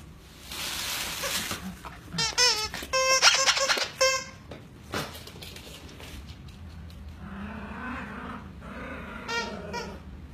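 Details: Two Schnauzer puppies at play, happy: an opening flurry of loud, rapid high-pitched yips and squeals, then a steady low growl rumbling on for several seconds, ending with a brief squeaky yelp.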